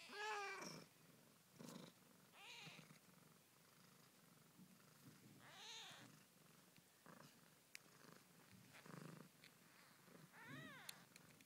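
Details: Newborn Siamese kittens, one day old, born 20 February 2010 in York, UK, indoors: thin squeaky mews with arched, rising-then-falling pitch come in short bursts every one to two seconds over a soft, low continuous murmur.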